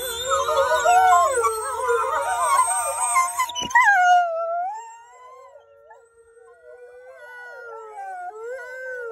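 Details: Wolves howling together, several overlapping wavering voices rising and falling in a dense chorus, then thinning after a sharp break to a few long, sliding solo howls drifting up and down.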